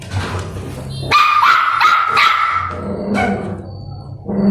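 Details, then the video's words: An angry puppy, fighting another puppy over food it won't share, gives a rapid string of sharp, high-pitched, squeaky barks and yips. "Angry Puppy Barking Madly for Not Sharing Food"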